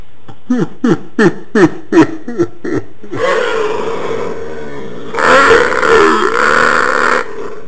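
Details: Pet dog producing its habitual funny sound instead of barking: about eight short, quick downward grunts in a row, followed by a rougher, breathy, sustained groan that swells louder near the end.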